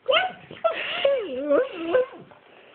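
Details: Max, a pet pug, gives a meow-like whining vocalization: a series of wavering, tonal notes that slide up and down, some drawn out, across nearly two seconds, with soft human talk around it.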